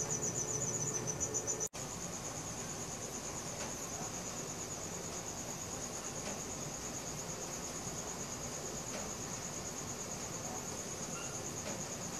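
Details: Cricket chirping at night, recorded on a Samsung Galaxy S4: a high, steady pulsed trill that runs on without pause, briefly cut by a sharp gap near the start, over faint low background hum.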